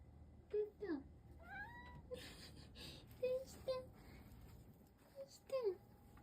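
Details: Long-haired rescue cat meowing: several short, nasal meows, some falling in pitch, one rising then dipping, spaced irregularly with brief soft sounds and faint room noise between.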